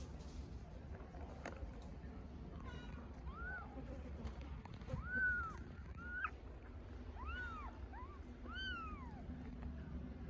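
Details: Hungry stray kittens in Istanbul calling for their mother: a few quiet mews, then louder rising-falling meows toward the end, with a brief bump of handling noise and low background hum.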